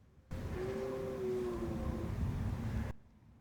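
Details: A distant deer in the Lake District, across a lake at dusk near camp with many deer around, gives a long, steady, moaning bellow that sags slightly in pitch over a low rumble.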